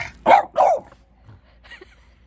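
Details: French bulldog arguing with its owner over coffee, giving two short, gruff, grumbling barks in quick succession, followed by quiet low murmurs in a near-silent room.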